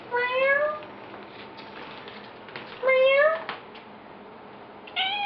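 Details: Odie the cat meowing indoors as people play with him, three drawn-out harmonic meows about two and a half seconds apart, the middle one loudest, with quiet room noise between them.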